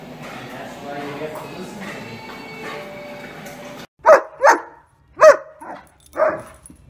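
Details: Irish wolfhound, a pet dog, barking indoors: people talk over music for about four seconds, then five loud, sharp barks follow in quick, uneven bursts, each short and punchy with brief silences between.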